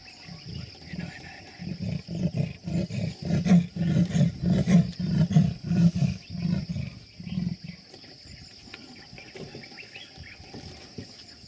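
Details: Sri Lankan leopard in Yala National Park, Sri Lanka: a run of low, rough, sawing grunts in quick succession for about seven seconds, building then tapering off, over a steady high-pitched insect drone.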